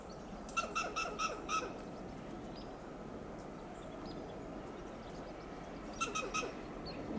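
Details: A Western gray squirrel on a coast live oak in Del Monte Forest, California, gives loud alarm calls: harsh, raspy barks in a quick run of four, then repeated.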